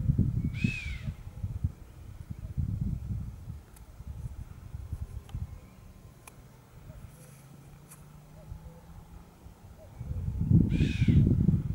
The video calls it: Il fischio..... del camoscio